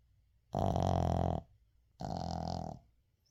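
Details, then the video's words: Uijung the Shih Tzu sleeps and snores indoors, two raspy, vibrating snore breaths about a second apart, each under a second long, with near silence between. "시츄 코골이"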